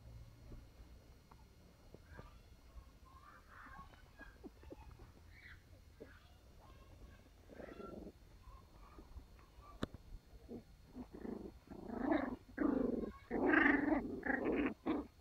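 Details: Sealyham Terrier puppies at play, building from faint scattered yips to bursts of harsh growling and squealing in the last few seconds, with rustling and low room hum underneath.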